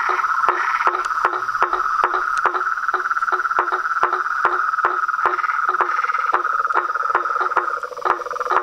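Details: Pond frogs, toads and tree frogs in full evening chorus beside a home veranda, a constant whirring trill overlaid with evenly spaced percussive clicks that run on without pause.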